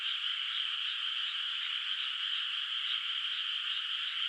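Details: Moonlit countryside rice field at night, unplanted water, with distant frogs calling: a dense chorus of high croaks that pulses quickly and evenly, several beats per second, over a steady trilling background.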